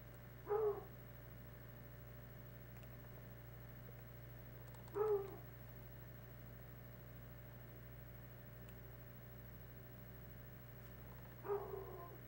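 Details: Three spaced, deep hound barks roughly every four to six seconds as year-old Tracker reacts to the smell of something passing in the woods; steady hum underneath.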